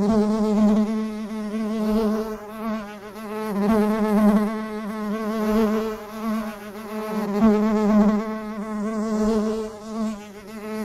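A bee buzzes steadily, a low droning hum that swells and fades as it moves about.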